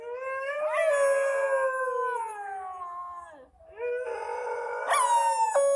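An Indian dog cries in long, wavering howls that slide slowly downward in pitch.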